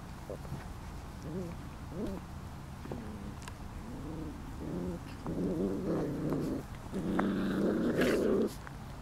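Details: Lacey's almost five-week-old puppies at play, with squeaky rising whines and yelps early on, then building rough growls that swell into longer snarling bursts near the end.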